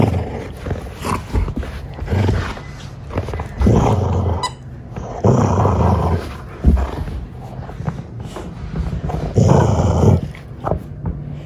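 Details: Treeing Walker Coonhound, a pet dog reacting very seriously during hunting-style play, gives deep rumbling growls in bursts of about a second, roughly five of them, separated by scuffling and thumping noises.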